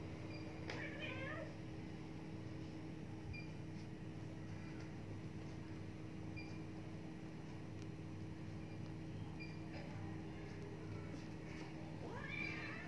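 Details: Himalayan cat meowing indoors: a short wavering meow near the start and another rising meow at the end, both over a steady low mechanical hum like a fan or air conditioner.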